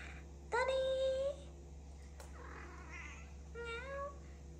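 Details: Domestic cat indoors giving two meows, the first clear, drawn-out and nearly level with a slight rise at the end, the second shorter and softer a few seconds later, over a steady low hum.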